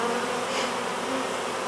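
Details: Honey bee swarm being hived, bees shaken from a box onto a board before the hive entrance and fanning there; a dense, steady hum with a faint wavering tone, no other clear sounds.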